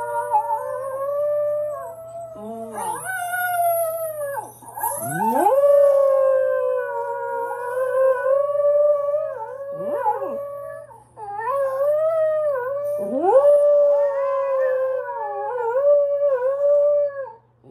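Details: Pet dog howling by itself: a series of drawn-out wavering howls rising sharply then holding steady, separated by brief breaks and swoops, several overlapping tones, faint low hum throughout.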